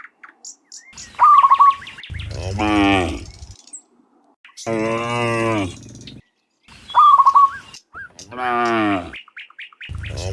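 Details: Dozens of cows walking home from the fields to the pen in the afternoon; two long, deep, drawn-out moos alternate with bright, rapid chirping bird phrases, with a short chirp at the very end.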